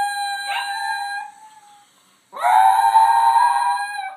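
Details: A young wolf howling over his girlfriend: two long, steady, tonal howls, the first fading out after about a second, the second louder and sustained with a slight wavering, separated by a brief silence.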